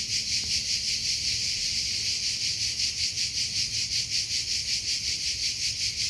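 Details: Steady cricket chirps outdoors, a shrill high trill throbbing in regular pulses about two to three times per second, unbroken for the whole recording, with a soft low background.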